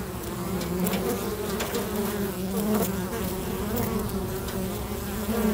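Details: A crowd of bees works at a local bee box, their wings making a thick, steady buzzing drone with brief louder passes and occasional light tapping sounds.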